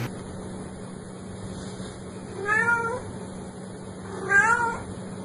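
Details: Domestic cat giving two short, soft meows about two seconds apart, nearly buried in steady electrical hum and background hiss.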